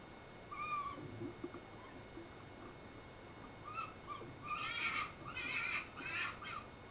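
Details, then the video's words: Three foxes making noise on 14 May, with a few thin, wavering cries early on, then a louder cluster of rough, strained, overlapping calls in the last few seconds over a steady low background hum. "3 foxes making noise"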